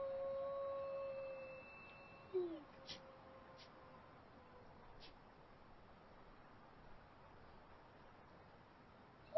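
A wolf's long, steady howl tails off, followed by a few faint clicks and near silence.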